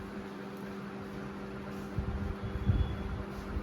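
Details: A steady electrical hum and fan-like drone fill a small indoor room, with a few soft low thumps toward the end and no animal voice.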